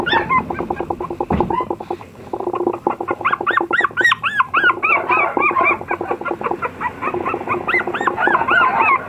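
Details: An apricot Toy Poodle puppy lets out high arched whimpers in quick strings, mixed with a fast rattling pulse. There is a brief sharp knock early on.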